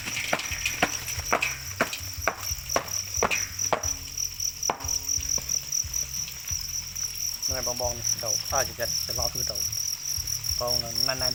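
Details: Farmed crickets in old and new, small and large rearing pens at harvest time, a steady high continuous trill running throughout, overlaid by sharp handling clicks and knocks, with a man talking near the end.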